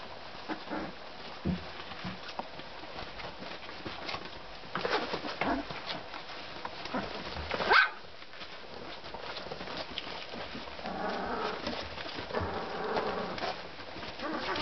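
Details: Magyar Vizsla puppies from the z Tuhnického lesa kennel: a few faint whining cries, then a run of soft, wavering whimpers in the last seconds, over steady shuffling and rustling noise.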